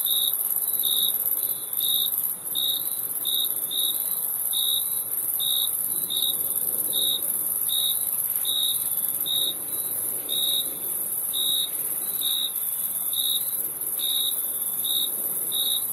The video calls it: Crickets Chirping Sound